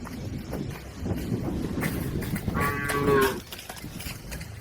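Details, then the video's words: Herded cattle crossing a river on their way to the farm pen: one moo near the end, a harmonic, slightly rising call lasting under a second, heard over a noisy background of movement and splashing. "Bunyi sapi"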